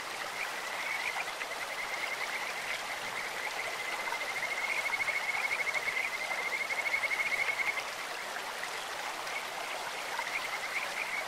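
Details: Kajika frogs in a clear mountain stream give a continuous high trill, swelling into a louder, rapidly pulsed whistling phrase for about four seconds mid-clip before easing back, with running water hissing beneath.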